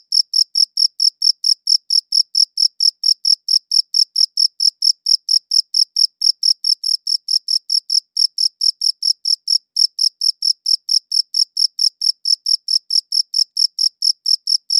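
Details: Cricket chirping, recorded with a good audio recorder: steady, high, clean chirps repeated about four times a second with a harmonic above, one brief pause near ten seconds, no other sounds.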